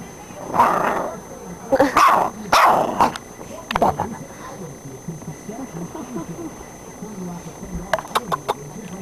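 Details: Pit bull puppy at play with its owner, giving a few short, rough barks in the first three seconds amid a person's voice and low background noise.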